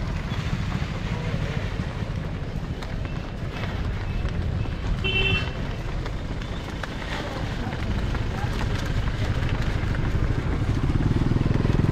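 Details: Speech over steady outdoor vehicle engine noise, with no animal audible.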